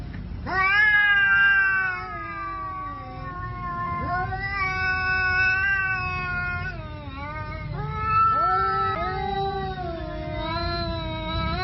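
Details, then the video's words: Fighting cats trade long, drawn-out yowls, wavering and sliding up and down in pitch, several overlapping drawn wails rising and falling over about twelve seconds with a constant low background hum. "From Meow to Mayhem: How a Cat's Meow Escalates to Violence?"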